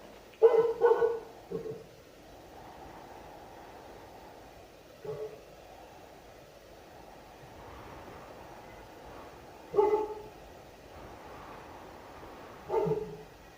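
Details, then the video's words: Sivas Kangal, the Turkish dog breed, heard barking at a distance over a steady background hiss. Single or paired gruff barks arrive irregularly, several seconds apart. "Sivas Kangal (Turkish Dog) Ses Efekti"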